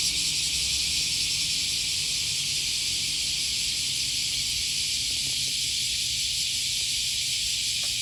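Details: Cicadas droning on an August 2020 morning by the Okawa River, Sakuranomiya Park area, Osaka, Japan: an unbroken high hiss-like buzz, with faint low hums and soft clicks beneath.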